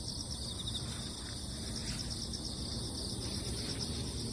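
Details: After a typhoon, crickets sing over moist earth with a constant high trilling drone, broken by a few quick rows of faint ticking pulses near the top of the chorus, above persistent low background rumble.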